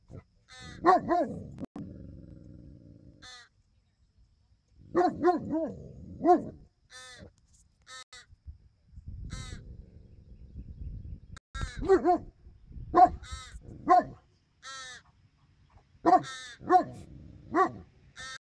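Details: Newfoundland at a dog park in a repeated screaming match with a resident crow: bursts of deep, rapid barking in clusters of two to four, separated by pauses with thin, raspy calls and low background noise.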